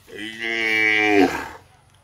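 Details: Fighting bull from Sylhet, Bangladesh, raised only for bull fighting; a single drawn-out, rich harmonic bellow lasting about a second and a half, level in pitch, then cut off abruptly.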